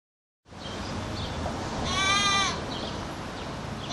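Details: Goat (Capra hircus), bleat.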